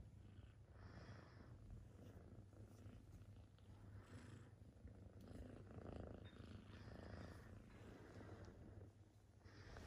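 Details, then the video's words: A massaged kitten purrs loudly with a continuous low, buzzing rumble. Soft rubbing and patting sounds from the massage come and go throughout. "Cute kitten purring loudly while getting a massage"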